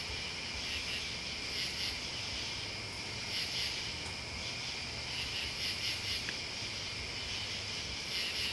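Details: Crickets and other bugs in a dense, steady high-pitched trilling chorus, with brighter shimmering swells every second or two and a faint low rumble underneath.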